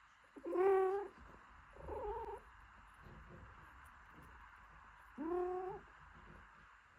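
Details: Domestic cat scene: a mother cat gently caring for her newborn kitten, cleaning it and keeping it warm. Three short, high, tonal mews with rich harmonics, each under a second, spaced a few seconds apart over a soft steady hiss.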